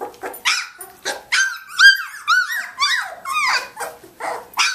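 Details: Samoyed pups nineteen days old from Athena's litter at play; clear high squeals and arching yips, some with a growly edge, separated by short quiet gaps in an indoor room.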